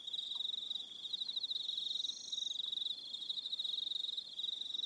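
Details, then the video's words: On Aroha Island, New Zealand, evening crickets produce a fast, high, ticking trill that runs nearly unbroken, joined by a brief higher buzzing phrase in the middle. "Relaxing Evening Sound of Crickets"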